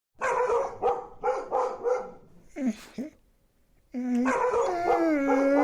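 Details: Siberian Husky vocalizing: a run of rapid, rhythmic barking yelps, a brief pause, then a long sustained harmonic howl gently falling in pitch.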